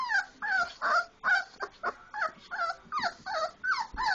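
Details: Four-week-old Labrador Retriever puppies, indoors, playing after eating: a rapid run of about ten high, whiny yips and whimpers, each sliding downward, with rough growly edges, coming roughly every third of a second.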